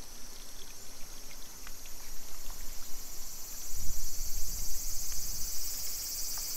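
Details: Cicadas singing in summer in a suburban Nisshin city neighbourhood near Nagoya, Aichi Prefecture, Japan, at 2 PM on 28 July 2021. A steady, shrill, high buzzing drone runs unbroken throughout, over low rumbling street and walking noise that swells midway.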